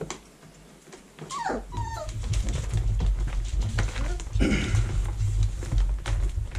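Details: Vizsla puppies in their whelping box in early October 2020, during cleaning and vacuuming; short high whining whimpers with bending pitch, over a steady low rumbling hum and scattered clatter.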